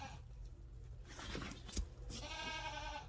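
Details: Nigerian Dwarf baby goats on a farm that crowd their keeper for attention, with rustling and handling noise, then a short, wavering, nasal bleat at the end.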